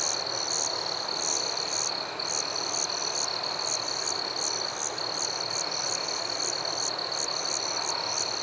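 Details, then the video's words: Nighttime crickets in a forest: one thin, steady high trill with a brief dip near two seconds, plus quick higher chirps repeating about every half second in a fairly even rhythm, over a soft wash of noise. "Crickets at Night"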